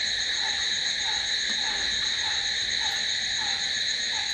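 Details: Crickets calling at night in a constant shrill, layered trill, with a faint lower peep recurring about every half second beneath the chorus.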